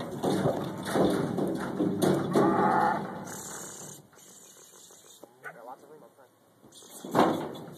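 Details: Black Angus cattle being loaded onto a trailer at a leased property for a short four-mile haul to Sweet Home Farms main; deep, drawn-out harmonic moos fill the first three seconds, quieter clatter follows, then another loud moo near the end.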